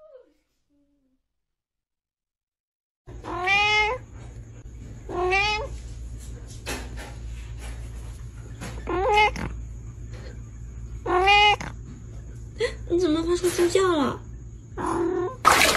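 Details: Domestic cat meowing in a funny pet compilation: several drawn-out harmonic meows, each rising then falling, repeated every couple of seconds, with a steady low hum underneath and brief clatter near the end.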